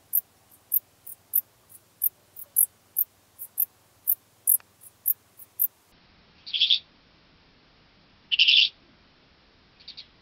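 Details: Common Dark Bush-cricket at Tuttlingen, Germany, 8 October 2022. Brief high-pitched chirps come about every half second, then three longer, lower rasping bursts follow through an ultrasound detector.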